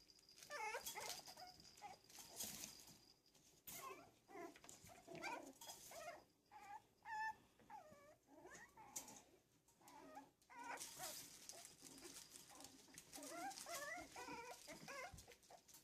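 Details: Yorkshire Terrier puppies at play, a steady stream of high whimpers, squeaky yips and little growly squeals, overlapping and rising and falling in short bursts, with brief quiet gaps and scuffling between.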